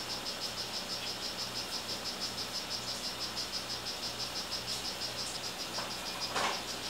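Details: Captive male strawberry poison-dart frog ('rio guarumo') calling with quick, high buzzy chirps at about three per second, slightly uneven, with a few brief rustles and clicks late on and a steady background hum.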